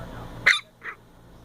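A long-haired Chihuahua puppy gives a sharp, high yap and then a softer, shorter one, barking for attention.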